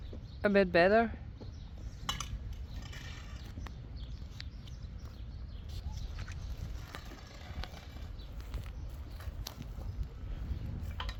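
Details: Friesian horse outdoors giving one short, shaky whinny right at the start, followed by a long stretch of hoof-like thuds, rustling and broad low noise.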